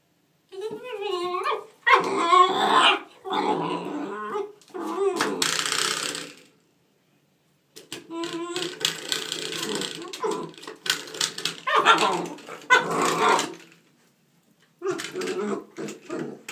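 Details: Nine-week-old German Shorthaired Pointer puppy playing with a doorstop indoors; bursts of wavering whines, yelps and rough growls in uneven runs of a few seconds, with brief silent pauses between bouts.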